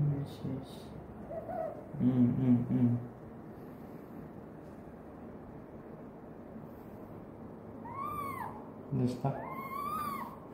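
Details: Pet female fennec fox calling sweetly to her owner indoors: two arched, whining, whistle-like cries rising and falling near the end, the second longer, between bursts of a man's low voice repeating short words.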